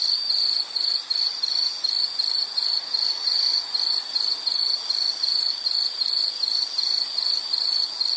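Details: Shrill pulsed chirping of an insect in a soothing nature scene, short bursts repeating around three times per second at a constant high pitch, nothing else prominent.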